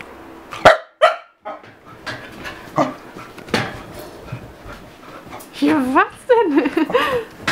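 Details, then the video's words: Chester, a 7-month-old pet Keeshond going crazy, gives a few sharp barks, then a stretch of scattered yips before wavering, bending yowl-like whines rise and fall near the end. "Keeshond is going crazy"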